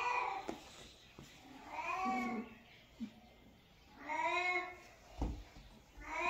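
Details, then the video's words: Domestic cat meowing indoors: drawn-out harmonic meows, some rising then falling, repeated every two seconds or so, with short clicks and soft thumps between them. "Cat meows | Cat voice | cat sound | cute cat"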